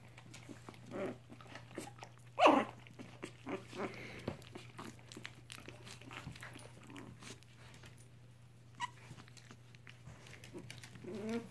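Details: Three-week-old mixed Chihuahua puppies with their mother, being fostered indoors; a sharp high whine or squeal near the middle, scattered softer squeaks and snuffles, a steady electrical hum beneath.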